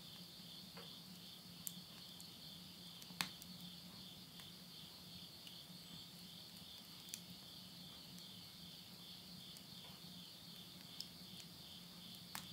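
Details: Midnight insect voices in rural Tottori, Japan, September 2020, as summer ends. A constant high shimmering trill with no pauses, broken now and then by sharp cracks from firewood burning in a stove and a low steady hum.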